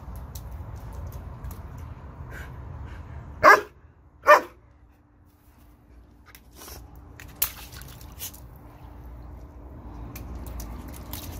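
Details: A German Shepherd at water play gives two abrupt barks close together, standing out over a steady background hiss with faint splashes and knocks.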